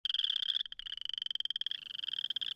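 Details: A boreal chorus frog calling in early spring in Missouri gives a rasping, rapidly pulsed trill, like a fingernail drawn along a comb, at a breeding site in a temporary flooded area.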